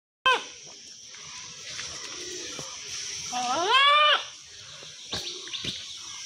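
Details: A she-goat and a billy goat, together. One long, wavering bleat rises and then falls near the middle. Sharp clicks and faint background voices come before and after it.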